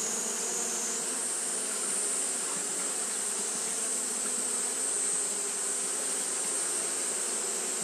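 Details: Japanese honey bees fanning nonstop on a hot day; a dense, steady hum of many wings with low droning tones and a constant high hiss above, unbroken throughout.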